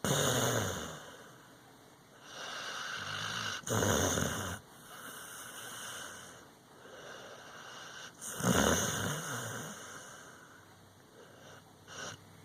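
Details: A dog asleep breathes in rasping snores that swell and fade every few seconds. The strongest breaths fall around the fourth and eighth seconds, with quieter hissy breathing between them.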